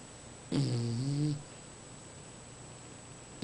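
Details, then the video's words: English bulldog from Hoboken, New Jersey, snoring: one drawn-out, nasal, wavering snore of under a second, low and buzzy with a faint high whistle, then quiet room noise. "Bulldog Lily Snoring"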